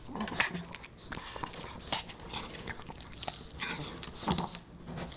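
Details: A Pomeranian puppy named Boba Bear eating dog-friendly fish and chips: short crisp crunches and lip-smacking clicks, a few sharper bites near the start and end, spaced irregularly over quiet pauses.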